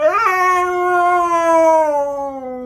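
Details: Loud Sunday-morning scream from a Siberian Husky: a quick upward yelp flips into a long, steady, ringing howl that sinks slightly lower toward its end.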